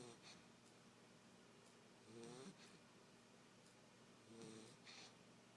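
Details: Nine-week-old basset hound puppy fast asleep on a couch indoors, snoring softly: two short snuffling breaths about two seconds apart, each a brief nasal rasp with faint hiss, over a quiet room.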